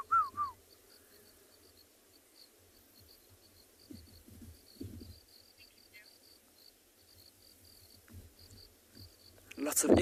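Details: Crickets chirp from long grass in a faint, high, steady pulsing chorus on a hot February afternoon safari drive at a South African game reserve; a brief whistled bird note opens, with low rumbling and a loud noise burst at the end.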